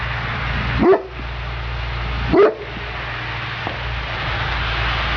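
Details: Neapolitan Mastiff Sofia at work gives two single deep barks about one and a half seconds apart against a continuous low rumbling background noise.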